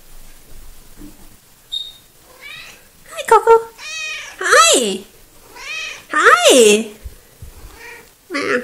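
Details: Coco, a small, talkative female pet cat, filmed 03.02.2018, gives a run of about six drawn-out meows, several rising then falling in pitch, separated by short quiet gaps, with a brief faint squeak near the start.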